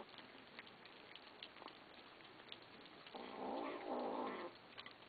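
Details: Kittens growling at each other while eating after begging for food; a rough, buzzy growl rises around the middle and holds for about a second and a half, over faint clicking and chewing noises.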